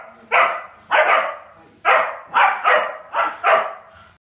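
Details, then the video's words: Polish Lowland Sheepdogs barking during a play fight. Six loud, harsh, rough barks come in a fast irregular series, roughly every half second to second, with short pauses between them. "polish lowland sheepdog バトル"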